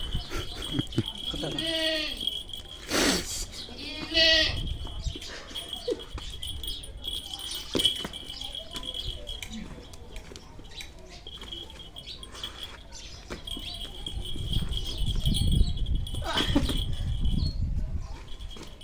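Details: Small native village billy goat gives two brief, harmonic, quavering bleats near the start, followed by a long stretch of quieter ambient noise with intermittent Marathi speech and rustling handling sounds.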